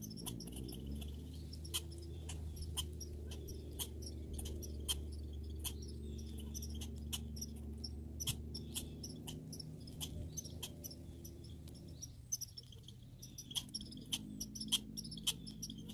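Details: Grey and red squirrels calling in a backyard: rapid bursts of high, thin squeaks and clicks, repeated irregularly about twice a second over a steady low hum.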